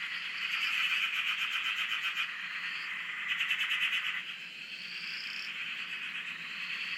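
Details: Australian dam frog chorus recorded from a shack: rapid trilling pulses blend into a steady buzz, broken by short rising higher notes every second or two, swelling and fading slightly.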